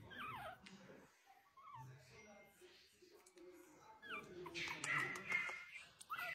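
A Pomeranian puppy whimpers in high, thin, sliding whines, with human voices in the background.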